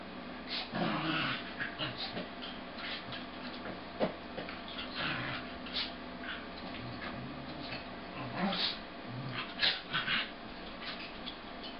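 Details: A red-and-white male corgi and a sable female corgi wrestle in coordinated play, trading rumbling growls, short yips and whiny whimpers, with the male making most of the noise. The recording is slowed to half speed, deepening and stretching each sound.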